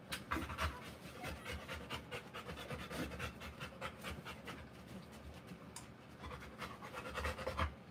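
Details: Rottweiler dam panting during the live birth of her puppies; bursts of rapid breathy panting, rising and fading in loudness, with rustling and movement sounds.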